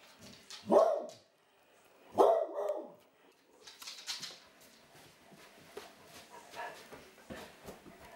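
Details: Two loud, mid-pitched barks about a second and a half apart from Magda, an old and very happy pet Clumber Spaniel, followed by quieter clicks, scuffling and faint indoor sounds.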